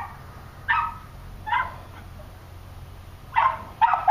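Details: A small terrier, a Cairn terrier or a West Highland White Terrier, gives sharp, high-pitched yips and barks, spaced out with short pauses.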